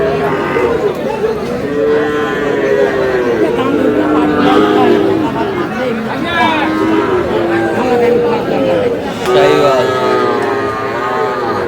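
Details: Sahiwal cattle, bull calves, at a cattle sale where a farmer from Sylhet, Bangladesh buys, dated 11 July: several drawn-out, arching moos of about a second each, partly overlapping, beneath steady crowd chatter and bargaining voices.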